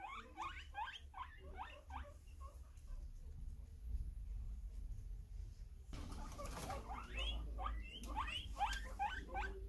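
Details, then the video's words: Guinea pig wheeking in repeated short upward squeaks over a low background rumble, with a quiet pause midway, then a renewed, louder string of rising chirps. "Guinea pig wheeking"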